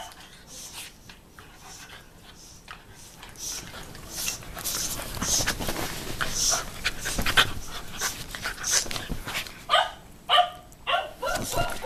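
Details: Playful nipping puppy and a mothering Shiba Inu wrestling; quick panting and rustling build up, ending in several short, high yips in close succession.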